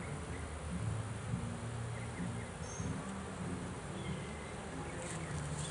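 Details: Bees being taken from a swarm trap that has caught its first swarm; a continuous deep, rough buzzing hum with uneven pulses and a few faint distant bird notes.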